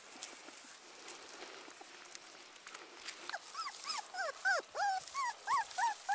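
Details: Abandoned Teacup Pomeranian puppy whimpering: after about three seconds of low hiss and soft rustling, a run of short, high, arched whines begins and repeats, growing louder and more regular toward the end.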